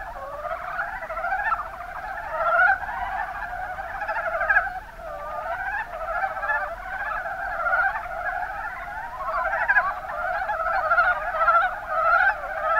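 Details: Rana ornativentris, the Mountain brown frog, calling in the Kuma Basin, Kumamoto, Japan; many rattling, rapidly pulsed croaks overlap continuously, with frequent short rising notes and irregular surges in loudness.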